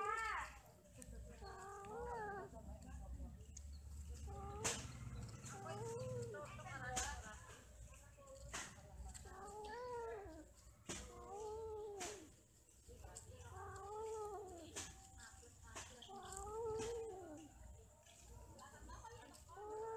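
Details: Domestic cats, eight of them, mating and quarrelling; a run of arching, harmonic yowls rises and falls roughly every one to two seconds over a low background rumble, with several sharp clicks or knocks.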